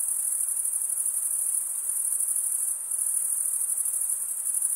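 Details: Crickets chirp by rubbing their wings together, making a sustained piercing high trill. It briefly softens just before the three-second mark, then resumes at full strength, with no other sounds present.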